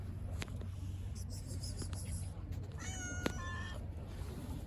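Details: Shy stray cat living on the street, met on a bench, gives one clear harmonic meow about three seconds in, held for under a second over a steady low hum, with a few soft clicks and a person calling nearby just after.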